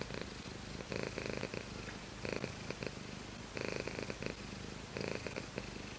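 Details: Cat called Shiro purring: continuous soft rumble broken by stronger rhythmic surges roughly once per second, evenly paced breaths, no other animals or voices.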